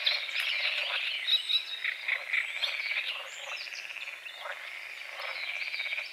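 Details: Frogs croaking at dawn over a small lake on the edge of a forest, morning fog on the water; a dense, rough chorus of overlapping croaks, roughly two a second, with thin bird whistles running above.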